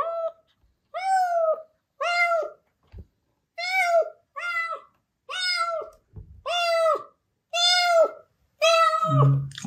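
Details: Spayed female mother cat Mideok, a yard cat recovering in a recovery room, meeting her kittens and eagerly greeting her third kitten Deoksam: eight clear, drawn-out tonal meows spaced about a second apart, each slightly falling, the last ending in a low rumble.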